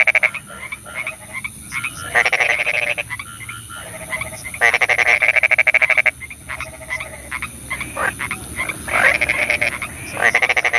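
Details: Frogs at night during rain: rapid rattling trains of pulses and bursts of trilling croaks alternate between callers, some notes rising in pitch, with fast chirps continuing throughout.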